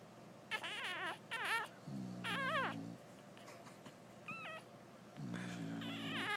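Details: Female English bulldog snoring during nursing, her pup feeding; long deep snores sit under frequent loud, warbling high squeals that rise and dip in short bursts.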